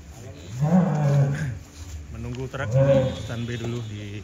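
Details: Large sacrificial cattle being unloaded in 2024, said to cry at parting from their keeper: two drawn-out, low, droning moos, each about a second long, separated by a short pause, over faint background voices.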